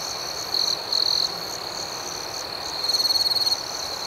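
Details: Nighttime crickets chirping outdoors: a constant shrill chorus broken by three louder, rapidly pulsed trills, two short bursts early and a longer pulsing one near the end.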